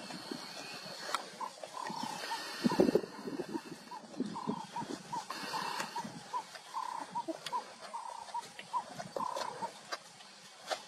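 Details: Spotted hyenas eating a leopard give short, high, yelping giggles in quick bursts, with crunching and low growls between.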